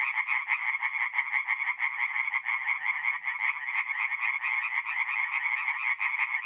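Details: A dense chorus of tree frogs at a North-East Italian forest pond on an April night, fast harsh croaks pulsing in quick succession with steady loudness and no other sounds.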